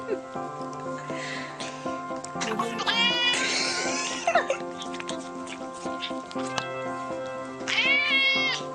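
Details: Pet cat giving a few bright, wavering meows, one long and strained, another short and upswept near the end, with steady music underneath and some voices.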